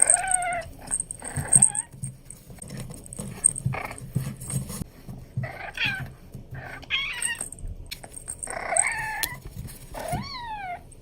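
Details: Abyssinian kitten meowing while playing: several short, high, bending mews, some rising then falling, spread across the clip with quiet gaps and faint handling noises between them.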